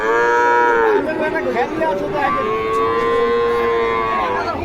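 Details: Bull calves at a cattle market in Joypurhat, Bangladesh: a sustained low moo that breaks off near one second, then another long, even moo follows; a man asks a price afterwards.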